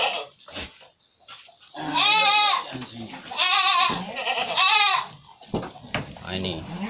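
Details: Goat suffering from flu and cough during home treatment gives three strong quavering bleats in close succession mid-clip, with a man's speech and handling noises before and after.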